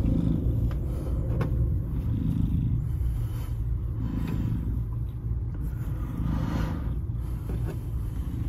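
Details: Shelter cat Salem, black, 2.5 years old, FIV-positive, given up by his owner, Baltimore County Animal Services, 07/02/2022; low vibrating purr swelling and easing in slow cycles, with scattered clicks and room noise.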